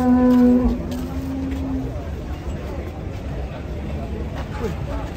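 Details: A cow with bent legs coming down off a truck in Indonesia gives a single loud, flat, low moo at the start. A fainter drawn-out tone follows, then music and murmuring voices.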